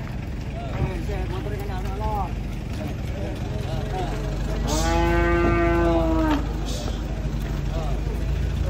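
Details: Large cattle lowing while being unloaded from a truck and led by hand at a market: one long, steady, droning moo of about two seconds, preceded by people talking, with a constant engine-like rumble throughout.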